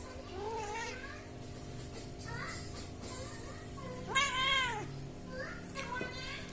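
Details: Pet cat, called out as yowling again and again, giving drawn-out wavering meows, one loud rising-falling cry near the middle, over a steady hum and faint background music.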